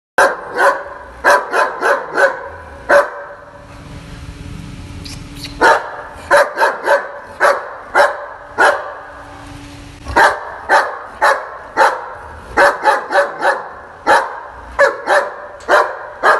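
A German Shepherd barks in loud, deep bursts, singly and in quick runs of two or three.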